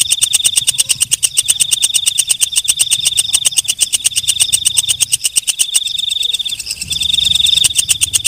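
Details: At night a walang kecek katydid keeps up a long run of rapid, sharp, regular ticks at high pitch, then pauses briefly before a smoother buzzing phrase. Faint low rumble throughout.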